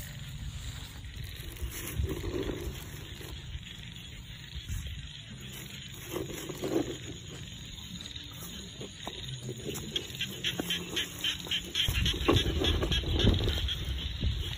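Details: Frogs calling from a rice field in rural Thailand: a chorus of low, throaty croaks in irregular bursts, with rapid repeated clicking pulses building toward the end over a steady high insect hum.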